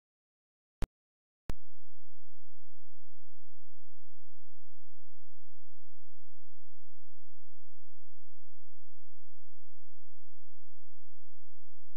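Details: Near silence broken by two sharp clicks, then a steady low electrical hum to the end.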